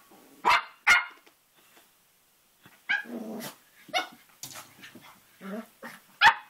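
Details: ['Three-and-a-half-month-old Cavalier King Charles Spaniel puppy playing at a mirror with its reflection; two sharp opening barks, a quiet gap, then muffled growly grumbles and yaps ending in one loud bark.']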